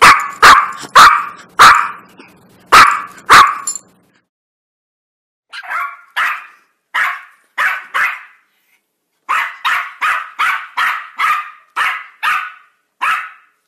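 A Yorkshire Terrier barks in sharp, high-pitched yaps, mostly in quick bursts.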